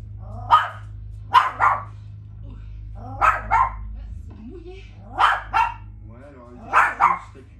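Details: Chihuahua barking at the TV: sharp, high yapping barks mostly in quick pairs, repeated about every two seconds, five bursts in all, over a low hum and quiet French speech from the television.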